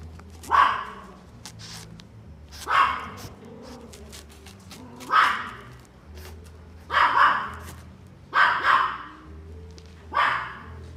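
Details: A male Yorkshire Terrier, born 8 May 2018, steel blue and tan, gives sharp, high barks at intervals of one to two seconds.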